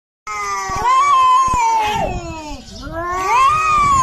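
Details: Cat angrily yowling at another cat to defend its territory: a long, loud, wavering moan that rises, holds steady, dips in the middle, then swells again, with a few soft clicks beneath.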